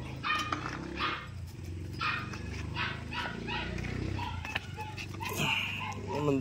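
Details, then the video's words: Jack Russell Terrier at play time: short, sharp barks burst out roughly once a second, mixed with a woman's voice praising and calling the dogs in English and Filipino. "Jack Russell terrier ( jack and chickie) Play time"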